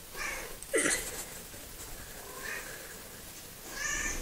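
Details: Coco, the smallest and chattiest pet cat of the household, gives brief meows, one sharp call near the start followed by softer short mews, against quiet indoor room noise.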